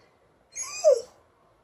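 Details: Sleepy Alaskan Malamute having a slow day, yawning: a short squeaky yawn, about half a second long, gliding downward and ending in a brief tonal whine, in a quiet room.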